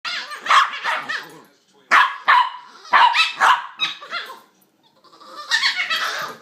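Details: Two pups play fighting, making strange monkey-like noises: dense bursts of high yips, squeals and short barks in quick clusters, a brief pause near two seconds, then more chattering yelps trailing off at the end.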